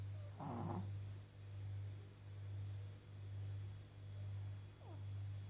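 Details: Old blind, partly deaf Pekingese, fourteen and a half years old, a brachycephalic breed that always snores; steady low rumbling snores swelling and fading about once a second, with a brief louder snort near the start.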